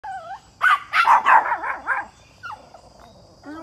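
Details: A Pomeranian chasing a deer gives a quick run of high, yappy barks that waver in pitch and blur into yelps.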